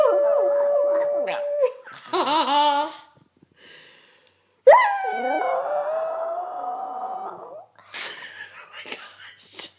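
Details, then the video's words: Male Yorkshire Terrier kept as a pet, mocking its owner's howl indoors: a steady held howl, then quavering wobbly notes, a pause, and a long wavering howl that slowly rises before fading into scattered clattering noises. "Yorkie howling- adorable"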